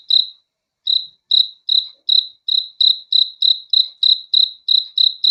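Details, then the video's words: Cricket at night, a single caller giving clean high-pitched chirps, loud and pure-toned; after an opening chirp and a brief pause, pulses repeat about three times per second over a silent background. "THE SOUND OF CRICKETS FOR RELAXATION TO SLEEP AT NIGHT"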